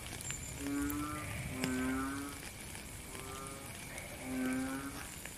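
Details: Frogs in rainy weather give drawn-out, low, lowing notes, each under a second long, spaced about every second and a half. Fainter pulsed croaks sit behind them, with a constant patter of rain.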